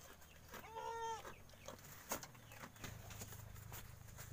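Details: Goat kid that has just stood up, giving a single short bleat lasting about half a second, steady and harmonic-rich, followed by clicks, rustling and low background hum.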